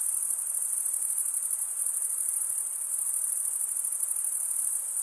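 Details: Stridulating crickets, chiefly males rubbing their wings, give a piercing, even trill that runs without pause for five seconds, with a slight rhythmic flutter and no other sound.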